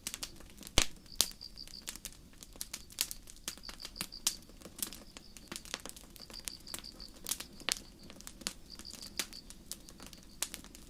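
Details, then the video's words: Night-time forest crickets under a starry sky near a quiet campfire: rapid, high-pitched pulse trains repeat in groups roughly every second, partly buried by sharp snapping and crackling flames. "Sleep Sounds: Campfire & Crickets"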